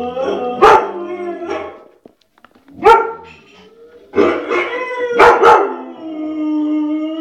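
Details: White shepherd dog barking in short bursts, some doubled, separated by pauses, with tonal whining howls trailing between the barks.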